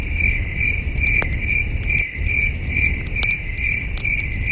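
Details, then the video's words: Crickets chirp through a starry night at a wilderness camp with a glowing campfire. Sharp, high trills come in a regular beat of about two per second, broken by a few loud crackles and a brief dip in the background rumble. "Soothing Cricket Sounds"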